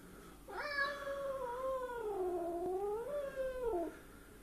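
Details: Angry stray cat that wandered indoors into a kitchen, giving one long drawn-out yowl that bends downward then rises again before breaking off, lasting about three seconds in a quiet room.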